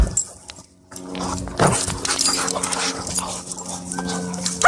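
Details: At a dog park, a Boston Terrier and a German Shorthaired Pointer square off; after a brief quiet gap, one sharp broadband bark-like burst sounds, then busy lower sounds over a constant low hum.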